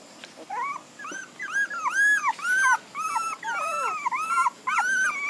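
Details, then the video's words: Several puppies whimpering together, overlapping high whines that rise and fall in arcs, some curving sharply downward, forming a continuous squeaky chorus. "Cutie Puppies"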